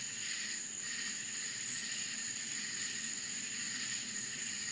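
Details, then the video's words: Crickets calling at night in the Florida countryside: a steady, piercing high trill runs throughout, layered over softer pulsing buzzes lower down and brief brighter bursts near the top, with no other clear sounds. "Country Crickets Sounds Night Time in Florida"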